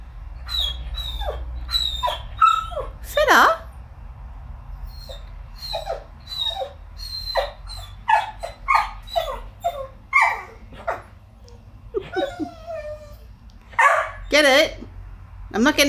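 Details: Fettuccini the Whippet whines and yelps in frustration at a chew bone trapped inside his rubber ball. High, wavering whines repeat rapidly, some rising into sharp squeals, while a person talks to him over them indoors.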